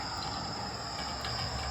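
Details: Crickets at night in Punta Cana, Dominican Republic, heard in the background: a steady, unbroken high-pitched shrill with two even bands, over a low rumbling murmur of passing traffic and outdoor noise.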